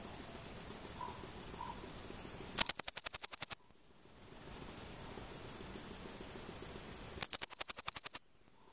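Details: Singing male Pholidoptera frivaldskyi bush cricket, Oleksandrivka, Kirovohrad Oblast, Ukraine, 5 July 2023; two loud, very high, dry ticking trains of about a dozen rapid pulses each, lasting about a second, roughly four and a half seconds apart.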